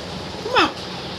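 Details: A pet cat named Jacky gives a single short meow that rises and then slides down, lasting about a quarter of a second, over a steady indoor background hum.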